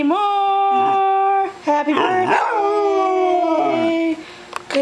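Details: A pet female dog howls along to Happy Birthday, the only song she howls to: a long, steady, tuneful howl, then a brief break and a second wavering howl that slides slightly downward.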